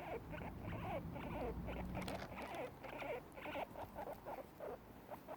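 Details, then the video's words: Two guinea pigs eating grass give soft, repeated squeaky chirps, about two a second, their contented happy sound while feeding. "Guinea pigs making happy noises while eating - Gingerandchutney"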